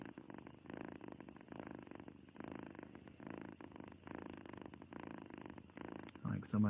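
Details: Happy cat giving a loud, low, buzzing purr in repeated breath-length surges, ending with a brief louder rustle or vocal sound in the final second.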